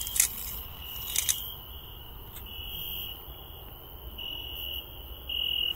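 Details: Garden cricket at night, found during a night-time search: a continuous high shrill trill that swells louder toward the end, with a few sharp clicks and rustles at the start.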